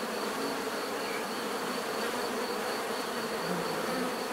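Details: A mass of bees producing a thick, steady buzz, layered hums of many insects blending into one continuous drone, with an occasional slightly higher whine from a single bee.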